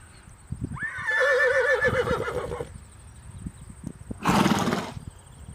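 A horse gives a high, quavering whinny lasting about two seconds that trembles rapidly and tails off, then a breathy snort. A faint steady whine sits behind it.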